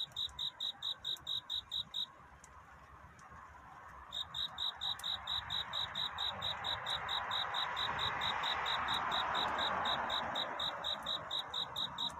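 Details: Night-time courtship song of a cricket at dawn: rapid high chirps in an even series, pausing for about two seconds, then resuming while a rising broadband hiss swells in the background.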